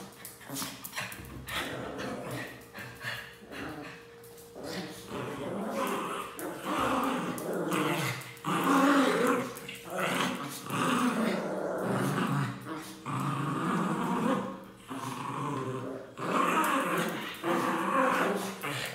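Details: Pinscher dogs bark and growl in sharp, irregular bursts as a person teases one, saying he'll take something from it, with people talking in the background.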